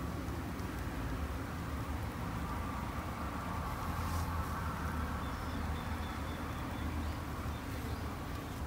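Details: Japanese honey bees at a backyard hive hum steadily, a thick low drone with a slightly brighter whirring layer, while a faint high tone appears now and then.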